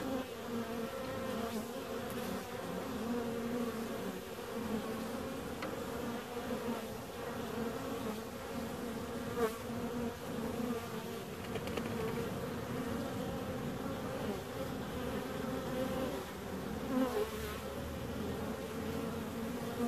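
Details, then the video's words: Bees buzzing in a steady, dense hum with banded tones near 250 and 500, unbroken across the whole stretch, with a few faint clicks and knocks. "Bees 2"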